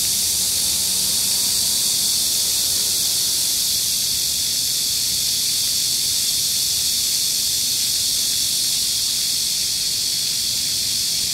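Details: Cicadas singing at Gayang-dong culture park, Seoul, South Korea, on a hot July 14, 2022 (31°C, humidity 65%, wind 4 m/s) near a cool fountain; constant high, hissy buzzing blanket of sound, steady in loudness start to finish.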